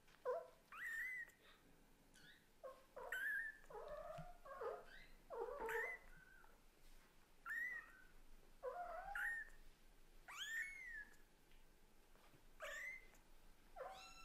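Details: Kitten of Lulu the Scottish Fold and Leo the British Shorthair calling hard to its mother, a rapid run of short overlapping meows and chirps, several mewing kittens, bright rising-falling cries continuing for fourteen seconds.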